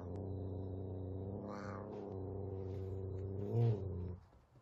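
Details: Frightened F2 Savannah cat facing a little kitten at their first meeting indoors; a continuous deep, droning growl with rich overtones lasts about four seconds, with a faint higher hiss-like burst partway through.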